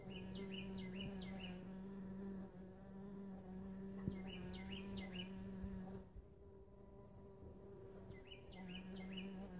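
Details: Steady droning hum of mason bees trapped in a lawn mower bagger, holding for about six seconds, pausing briefly, then resuming. Bright repeated bird chirps sound over it.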